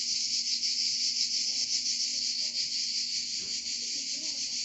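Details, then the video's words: Provence cicadas in full song, an intense shrill buzzing wall of sound that pulses gently but never stops, with a faint low rustle underneath. "Chant des Cigales en Provence"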